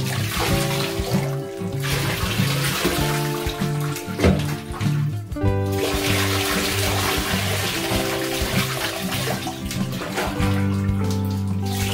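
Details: Upbeat background music over running bath water and splashing, with no animal voices.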